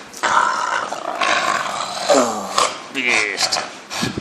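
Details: A 4-year-old male English Bulldog gives rough, snorting growls and grumbles while play fighting with his owner in Taiwan, with a person talking over it.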